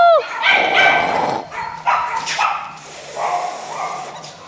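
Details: Playful Beagle puppies: a sharp short yelp opens, followed by a run of whining, harmonic yips and squeals that rise and fall over about four seconds.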